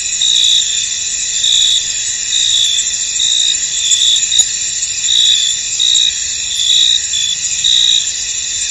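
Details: Field crickets chirp on through the fog, a shrill unbroken drone with louder pulsed trills rising every second or so. One faint click cuts through midway.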